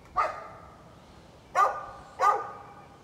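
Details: Three strong, evenly spaced barks from a neighbor's dog, recorded 13 November 2020, each ringing briefly before fading into a quiet background.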